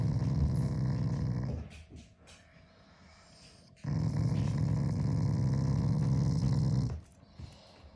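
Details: Pet Shiba Inu growling at its owner as a show of affection, not anger. Two long, low, rumbling growls indoors, the first about one and a half seconds long, the second about three seconds after a quiet pause.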